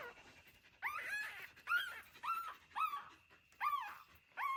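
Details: Mother dog and her puppies raised in an old house; repeated high whining whimpers, each a short arched cry, come in six separate bursts with brief quiet gaps between them.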